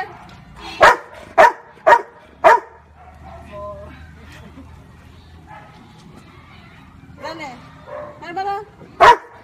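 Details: Marley, a Labrador Retriever, barking to count the fingers a woman holds up: four sharp broadband barks about half a second apart, then quiet Tagalog-speaking voices, and a final single bark near the end.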